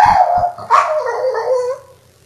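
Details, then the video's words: Pining female Boston Terrier indoors, howling after being asked whether her beloved owner is at the door: a sustained, quavering wail with a sharper yelp partway through, trailing off into quiet. "Boston Terrier Screeching for Patrick"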